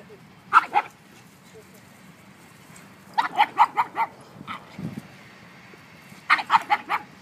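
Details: A one-year-old mastiff plays with two pugs; quick, high barks arrive in tight runs of two to five, spaced by a few seconds of near silence.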